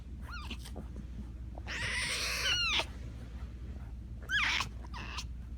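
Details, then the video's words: Tiger cub giving short, high, bending cries with harmonic bands, then a longer, harsher, buzzy wail about two seconds in and another brief squeal near the end, over a steady low hum. "Som de tigre rugindo - som de tigre filhote"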